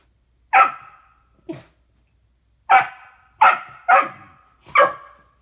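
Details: A 15-week-old male Golden Retriever puppy barks at himself in a mirror, giving short, sharp barks in an irregular series.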